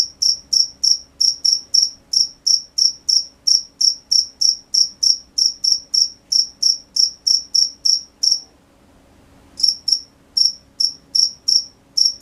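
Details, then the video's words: Crickets calling at night, a rapid train of shrill chirps about three per second that stops for roughly a second around the eight-second mark, then resumes, over faint low hum. "The sound of crickets at night"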